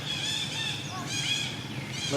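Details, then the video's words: Little baby monkey lying on the ground and crying while it waits for its mother to pick it up and comfort it. Thin, high, harmonic wails are held and wavering, with short breaks between them. A faint low rumble sits underneath. "little monkey lies crying on the ground, waiting for its mother to pick it up and comfort it"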